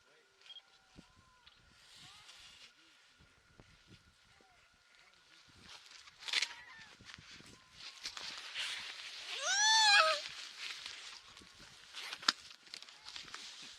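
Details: Baby harp seal on Madeleine Island, Canada, 29 February 2020, crying among other seal pups; faint arched wails throughout, then a louder rising-and-falling bleating cry near ten seconds, with wind and rustling noise.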